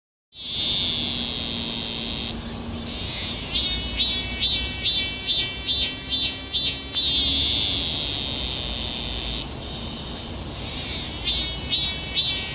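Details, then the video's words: Cicada singing: a shrill, steady high-pitched buzz that breaks into a run of evenly spaced pulsed bursts, then returns to a continuous drone before pulsing again, with a faint low hum underneath. "매미는 소리를 어떻게 내나?"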